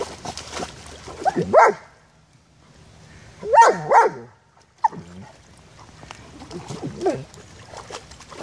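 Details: German Shepherd Génie playing excitedly in a puddle: short yelping barks come in clusters, a pair near the start and another pair midway, with splashing between them.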